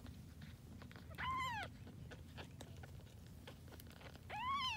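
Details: Grey tabby kittens, born to a once-homeless cat who was taken in, give two high, arched, harmonic meows, one near the start and one at the end, with scattered soft clicks and a low steady hum between them.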